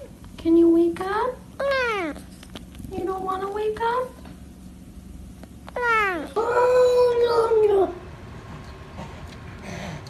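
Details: Domestic cat talking with its owner indoors, giving a series of loud, drawn-out meows with rising and falling pitch, several short calls then two longer wavering ones, with a person's voice and background music between calls.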